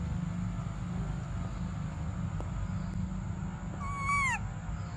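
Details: Infant monkey named Briar begging for milk gives one sudden bright wail near the end, bending down in pitch with strong ringing harmonics, after quiet moments filled with low, constant background hum.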